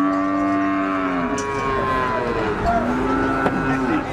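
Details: A clear, prolonged cattle moo held for over a second and dropping at its end, then a second low moo answering, with crowd chatter and engine noise in the background.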